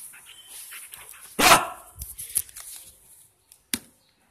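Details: Single sharp bark from Drogo, a five-month-old double-coated male German Shepherd puppy who is friendly, loves to play and is getting used to a new house. Soft rustling follows, then two faint clicks.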